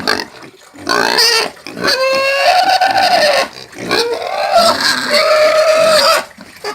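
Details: Free-range pig giving long, piercing screams, each drawn out for a second or more with a steady tonal line, three main squeals with short gaps between them.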